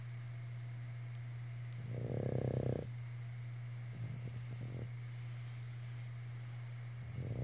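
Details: Three Boston Terriers share a couch while one snores in rough, snorting breaths over a steady low electrical hum.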